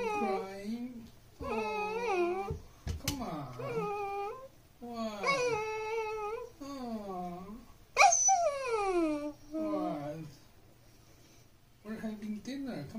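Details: A Pembroke Welsh Corgi puppy watches its owners having dinner and seeks their attention with a string of varied, wavering, talking-like whines and yips, rising and falling, repeated about every second, indoors with a person speaking between.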